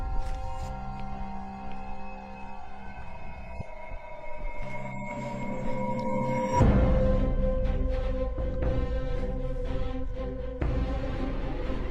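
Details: Dramatic, suspenseful music with sustained tones and a deep pulsing low end that swells in loudness around the middle, with no animal sound heard.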